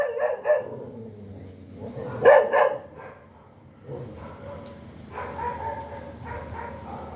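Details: A quick pair of dog barks, then two loud ringing barks. Softer, lower, drawn-out whining or grumbling sounds follow to the end.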